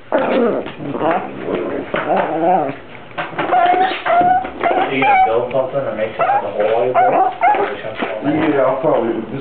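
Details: Domestic dog producing 'talking' sounds said to resemble a Star Wars character or a baby, a steady stream of wavering whimpers and moans with a few thin, higher whistled tones in the middle, slightly muffled indoor recording.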